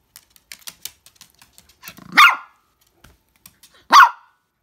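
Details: Toy Poodle named Koron spinning round and crying: two loud, sharp yelping whines about two seconds apart, the first preceded by a soft rising whimper, with light claw clicks tapping between them.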